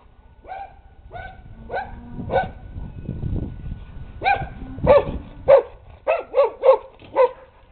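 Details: Dog near swimmers at a pool giving a run of sharp barks, about a dozen in under eight seconds, irregular at first then quicker and louder, with a low rumble of water or movement in between.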